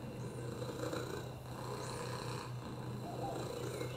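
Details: Purring domestic cat named Oliver, resting on a lap despite a broken hip, URIs and FIV: a steady low vibrating hum with rhythmic breathy surges roughly every 1.2 seconds, slightly wheezy overtones, indoors and quiet.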